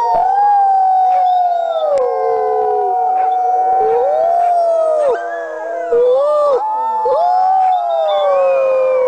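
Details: Chorus of working sled dogs howling: many sustained, sliding tones layered at once, some arching up then dropping, a loud continuous wall of voices with occasional sharp yips cutting through.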